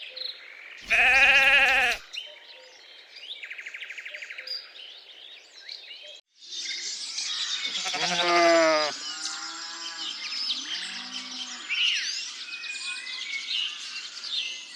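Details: Lambs grazing in a cool green forest: a loud, harmonic bleat lasting about a second, then a second, wavering bleat a few seconds later, with busy high bird chirping and twittering filling the background.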